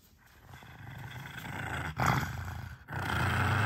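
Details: Six-year-old female pug growling while guarding a bone treat indoors: a low, rough, rumbling growl that swells steadily louder over the clip with brief breaks, and no other clear sounds.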